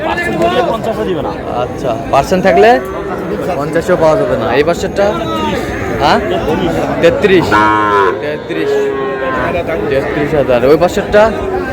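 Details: Several moos from Sahiwal bulls and heifer calves on 19 August, bought by a farmer from Barisal, with wavering tonal bellows near the eighth second amid busy human talk and chatter.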